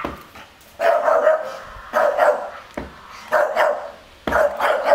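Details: Staffordshire Bull Terrier barking to guard its garden from an approaching stranger without a mask; four separate bouts of harsh, doubled barks, roughly one each second, with quieter gaps between.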